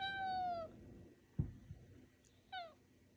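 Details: Talkative male pet cat answering its owner indoors with two drawn-out meows, the first long and slightly falling, the second short, separated by a soft thump and quiet room noise.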